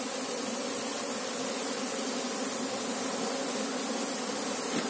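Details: Apis cerana honey bees buzzing together while the keeper hunts for the queen; an unbroken, even hum rich in low tones with a hissing upper edge.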